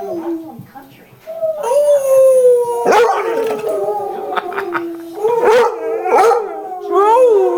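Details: Pet Basset Hound named Pretzel answering a recorded basset's howl; a low opening tone, then long wavering howls and short sharp yelps, with a woman's voice faintly mixed in.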